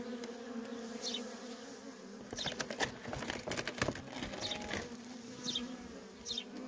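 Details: Worker honey bees at a feral colony give a steady droning buzz. A burst of sharp clicking and tapping breaks in midway, and a few high chirps sound near the start and end.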